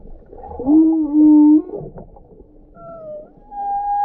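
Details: Whale in Croatia, reported jumping out of the water: a low, steady moaning tone with stacked overtones swells for about a second, then softer, higher whistled tones glide slightly and hold toward the end, over a faint background rumble.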